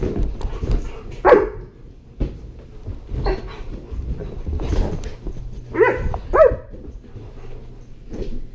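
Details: Indoor play at a first birthday party for Sterling, a Great Pyrenees Border Collie mix, with five-month-old sister Lexi, recorded on a GoPro; scattered high yips and barks, a quick double bark near the end, with thumps and a steady hum.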